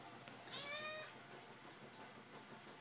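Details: One cat of the pair Mittens and Ginger gives a single clear, slightly falling meow while begging for food, heard over a noisy indoor background with a faint hum.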